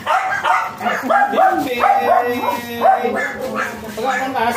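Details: Excited white Pomeranian of Thai import line at a stud service in Aringay, La Union, firing off a string of high, clipped yips as people speak Filipino nearby.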